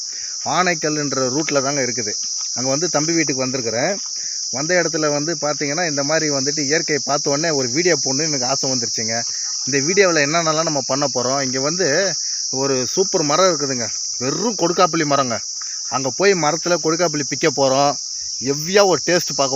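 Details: Cicada calling from a Manila tamarind (kodukkapuli) tree, heard sweetly: a steady high shrill buzz runs unbroken throughout, over lower warbling harmonic bursts that start and stop every second or two.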